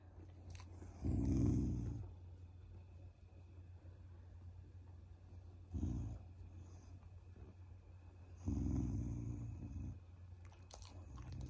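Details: Shiba Inu, a family dog, growling playfully as a sign of affection rather than anger, indoors: three low rumbling growl bursts, short and rough, roughly every three to four seconds, with a steady low hum between them.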